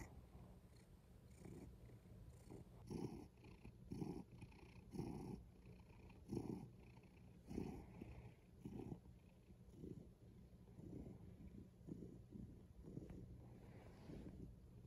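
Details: Domestic cat purring: a steady low rumble that swells and fades in rhythmic pulses about once a second with each breath, with faint higher breathy texture and no other clear sounds.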